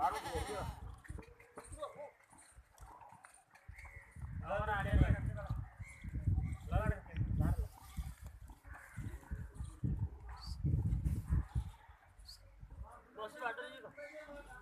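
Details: Goats on a goat farm in Ajmer, India, bleat in wavering, quavering bursts while people talk nearby.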